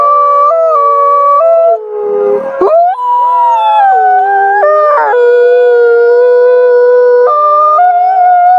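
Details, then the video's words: Night-time wolf howling, called frightening: a chorus of overlapping drawn-out howls stepping between held pitches, with a brief rough, noisy burst near the third second before long steady wails resume and continue layered together. "Menyeramkan Suara Lolongan Srigala Malam"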